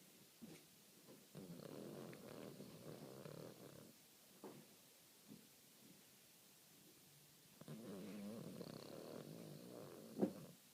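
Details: Guinea pig asleep indoors in May 2013, snoring on after people walk in: two stretches of low, raspy, purring breath noise lasting two to three seconds each, with near-silent pauses and a brief sharp click near the end.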